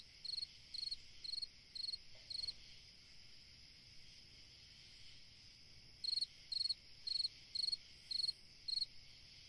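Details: A cricket chirps through a summer night in two bursts of regular high trilled chirps, five then six, separated by a few seconds of quiet with only a faint steady insect drone behind.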